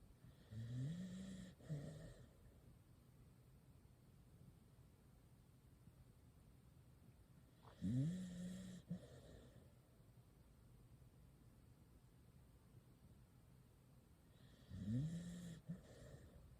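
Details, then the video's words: A sleeping corgi snores in low, rumbling breaths that come roughly every seven seconds. "(corgi)コーギーいびきASMR(コーギー)"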